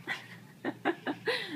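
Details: Peanut, a pet Chihuahua, playing with a sock stolen from the hamper: five short squeaky whines in quick succession, the last one longer and sliding downward, with a person speaking softly nearby.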